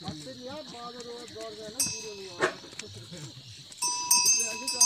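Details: Himalayan goats in a forest at Munsyari, Pithoragarh district, Uttarakhand, India, give wavering harmonic bleats over several seconds, with bell tinkles, people talking nearby and a steady high insect drone behind.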